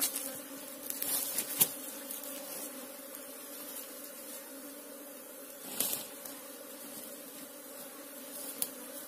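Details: Asian honey bee colony nesting in a ground hole, being excavated and removed: an even, continuous low hum with a faint higher overtone throughout, broken by a few sharp scraping and knocking sounds.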